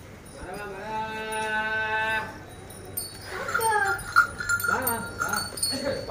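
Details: Hallikar cows and calves on a farm at Begur, near Hulimavu, Bengaluru: one long, steady, rich moo holding about two seconds, then people talking nearby.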